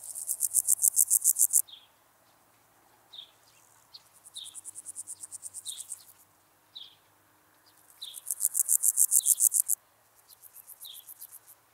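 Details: Meadow grasshopper (Pseudochorthippus parallelus) in Elsbethen, Austria, on 27 July 2019, gives short, dry, rasping bursts of rapid pulses, each about two seconds long; noise removal has altered the recording.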